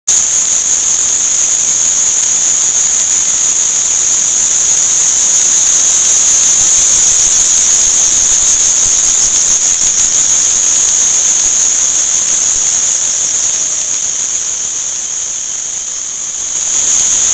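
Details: Many crickets at an insect, flower and fish market in Shanghai, a loud, steady, high-pitched ringing trill holding one even tone throughout, very dense with no pauses, with a fainter band beneath it.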